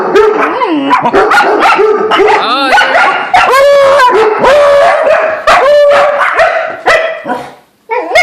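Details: Dog barking in alarm at a squirrel, dense overlapping barks and yips with rising howl-like tones, a person cheering it on, a brief pause near the end before barking resumes.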